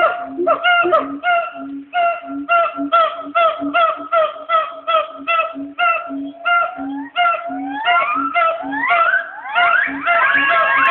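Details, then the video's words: At the Nashville Zoo two black siamangs call back and forth from the trees around noon: steady series of loud barking whoops with low booming notes between, building into fast rising wails near the close. "Black Siamangs calling to each other at the Nashville Zoo"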